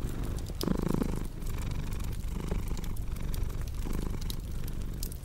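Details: Purring house cat with a crackling fireplace in the background: a low rumbling drone that rises and falls with the breath, with brief pauses between cycles and crisp pops of burning wood on top.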